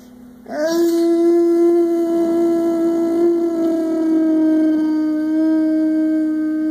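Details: Boxer dog called Brutus or Boo Boo, six years old and about 100 lbs, who loves to sing and howl; indoors, one long, steady, tonal howl starts after half a second and is held evenly, with a slight waver, for about six seconds.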